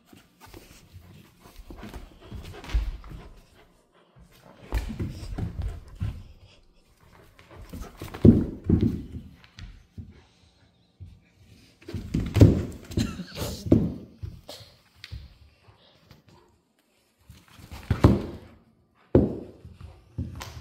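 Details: Central Asian Shepherd puppy playing tug of war indoors, giving low rough growls in bursts of a second or two with quiet gaps, plus scuffling and tugging noises.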